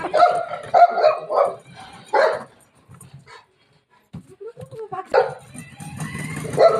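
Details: Shih Tzu dog playing with its mother, giving a burst of sharp, mid-pitched barks and yips in quick succession, then a pause and another barking flurry, with laughter and human voices in the background.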